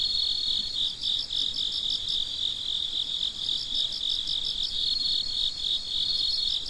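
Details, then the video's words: Crickets chirping at midnight, a dense, steady high trill with rapid pulsed bursts layered on top, several insects calling together without pause. "Gece Cırcır Böceklerinin Sesi - Huzur Veren Sesler - The Sound of Crickets"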